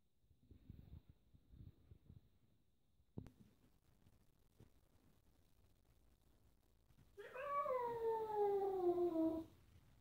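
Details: Indoor kitten annoyed by a rough black cat in a house with four cats playing together; after seven seconds of quiet shuffling, one long drawn-out meow slides slowly downward and lasts about two seconds.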